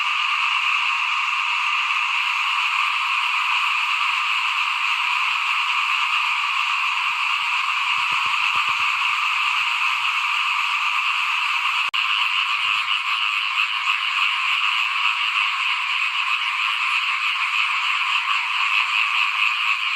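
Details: Chorus of frogs in front of a house while rice is sown for planting in 2021. Many overlapping croaks merge into a continuous, shrill, buzzing drone, with a brief click partway through.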